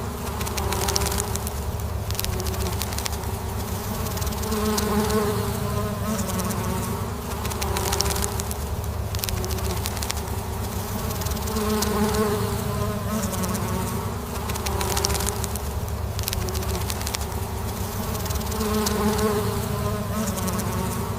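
Honeybees fill the air with a steady, low droning hum from many wings at once.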